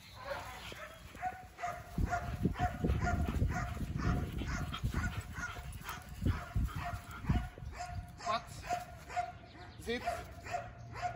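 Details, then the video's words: Belgian Malinois named Thor during a field day of obedience and control training, barking in a rapid, uneven series of sharp blasts over several seconds, with a handler's short spoken commands and outdoor background noise. "Pastor Belga Malinois - Obediência e controle. Dia de treino em campo"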